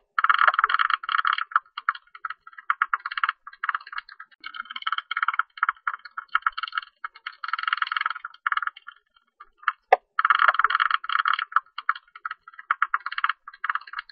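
A tube-nosed bat gives bursts of rapid, rattling pulses, broken by brief pauses.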